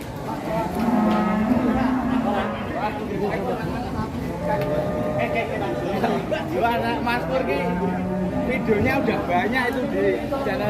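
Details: Wild, agitated cattle unloaded from a truck, letting out a low, steady moo early on and another shorter one later, mostly buried under loud talking from the handlers and onlookers.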